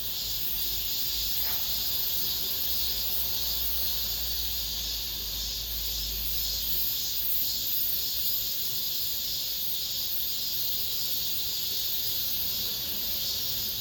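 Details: End-of-summer cicadas inside an apartment complex. A continuous shrill buzzing wall of sound is heard, with a brief click near the start and a low hum fading after several seconds.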